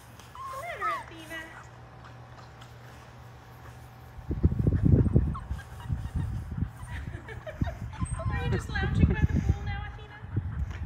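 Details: Five-week-old Labrador Retriever puppies from a litter of six, trying water for the first time in the baby pool where they were born; high rising-falling whimpers open the clip, then low splashing and sloshing water take over.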